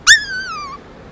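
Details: A puppy, scared on its first walk outside, gives one loud, high whistled squeak. It starts sharply and then slides steadily downward in pitch for most of a second.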